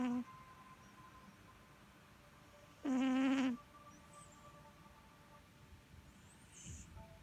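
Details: Sugar, a pet cat, snoring: a single buzzy, nasal tone with a rich stack of overtones lasting under a second, set against quiet background hiss.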